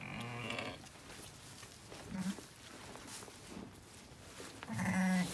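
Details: Bleating from a Zwartbles ewe giving birth on an Irish farm in County Kilkenny, twin ram lambs delivered; a bleat at the start, soft low grunts mid-clip, and a louder nasal bleat at the end over background hiss.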